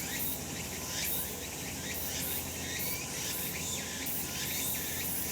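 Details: Cicadas calling on a sunny summer mountainside: a dense, hissing high-pitched drone swells in rhythmic pulses roughly twice a second, with a steady low background hum beneath.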